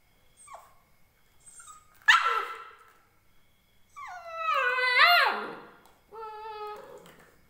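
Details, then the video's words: Indian Spitz puppy crying: high whistled whimpers and yelps, a sharp rising yip near two seconds, then a long wavering falling cry and a steady nasal whine, rich in harmonics, quiet background. "indian Spitz puppy barking|| dog videos|| puppies crying"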